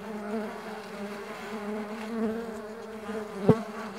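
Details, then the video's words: Mandaçaia stingless bees flying, a steady low wingbeat hum with stacked harmonic bands, several overlapping drones wavering slightly, and a sharp click near the end. "STINGLESS BEE SOUNDS"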